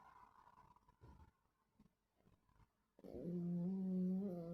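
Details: Dogs asleep and dreaming, recorded 26 August 2024: after soft rustling and faint breaths comes one loud, low, steady voiced groan lasting about a second and a half.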